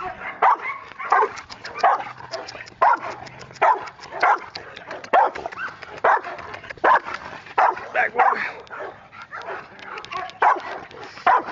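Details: An 8-month-old female Rottweiler in area-protection training barks in loud, deep bursts, again and again, while a handler shouts "Get back!"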